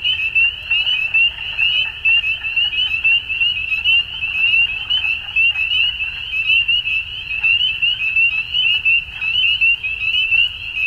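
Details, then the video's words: Frogs calling at dusk in spring in Ontario, Canada: a dense chorus of high, shrill peeping notes merging into one steady ringing band, with softer croaking pulses beneath and no pauses throughout. "Frog Sounds At Dusk"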